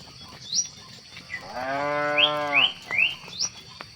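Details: Cow lowing while cattle are herded at sunset: a single drawn-out, rich moo of just over a second, with short rising bird chirps before and after it and a constant thin high hiss in the background.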